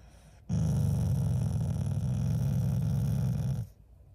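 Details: Shiba Inu, a pet dog in the family, growling at its owners out of affection rather than anger: one low, rumbling, steady growl of about three seconds with a pulsing texture, starting and stopping abruptly.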